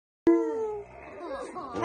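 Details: Rottweiler gives a short, steady howl that sags slightly in pitch, as if trying to sing Happy Birthday, followed by muffled human voices singing along.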